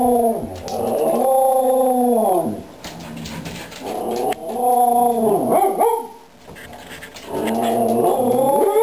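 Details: Two pet dogs, Aggie and a longhaired companion Hailey, yodelling indoors for treats: long wavering howl-like tones with rich harmonics, rising then falling, in three drawn-out phrases separated by short gaps.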